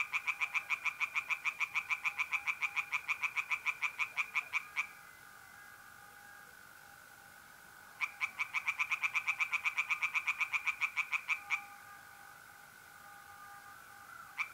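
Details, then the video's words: Night-time pond in north-east Italy in mid April, tree frogs calling in two long bursts of rapid, evenly spaced croaks separated by a pause, while mole crickets keep up an unbroken thin trill underneath. "relaxing singing tree frogs in pond and trilling mole crickets by night"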